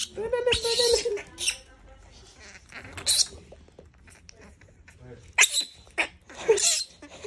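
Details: Being teased, a monkey lets out one harsh, buzzy scream lasting about a second. Sharp clicks, taps and scuffling noises follow.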